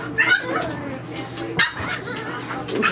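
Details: French Bulldog puppies at play in their nursery on their first day without their mother: bright, brief yips at the start and again at the close, mixed with a woman's voice and a faint room hum.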